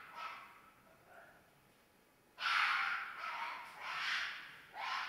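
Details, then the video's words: Red fox screaming in mating season: a faint hoarse cry, then after a pause a loud drawn-out raspy scream and further harsh wavering screams, noisy and breathy, over a quiet background. "Fox Screams"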